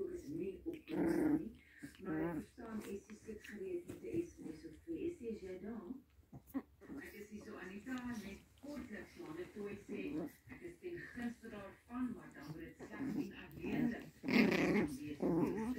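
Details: Pomeranian puppies playing together, giving low rumbling play growls and short whimpers in rapid, irregular bursts, with people talking in the background throughout.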